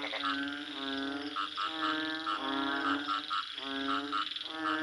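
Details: A few frogs trade loud, bleating croaks, each call a slightly wavering nasal note lasting under a second, given back to back.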